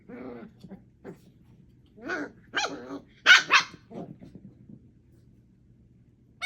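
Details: Puppies Thumper, Coco, Aurora and Elvira, eight weeks old, wrestling in play: a gruff growl opens, then scattered snarling bursts, two loud sharp yelps close together, and fading grumbles into quiet.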